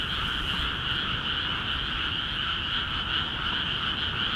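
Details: Frogs calling loudly together in flooded rice fields of Akiha Ward once water entered the paddies; a constant, dense trilling chorus of countless overlapping croaks, steady in loudness from start to end.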